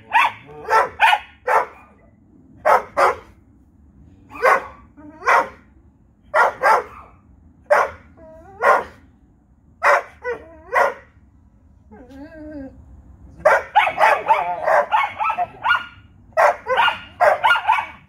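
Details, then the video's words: Nightly barking exchange between a Vizsla and a Corgi: single and paired sharp barks repeated at steady intervals, a soft whining moan around the middle, then a faster, denser flurry of barks toward the end. "Nightly Conversation between Vizsla and Corgi"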